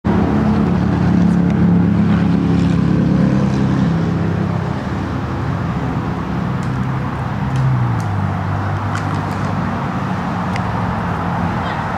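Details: Loud droning motor hum, like a car or boat engine, with shifting low tones and no animal voice.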